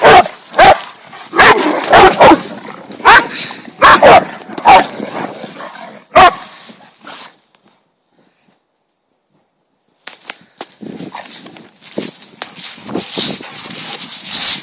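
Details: Dog barking at another dog in a rapid, irregular volley of loud, sharp barks, then a silent gap, after which softer yips and rustling noise follow.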